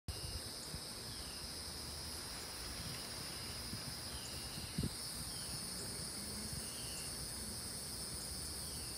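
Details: Cicadas in South Carolina, in the southeastern United States, droning as a steady, unbroken high-pitched buzz in two bands that never pause, over a low outdoor rumble with a single soft knock.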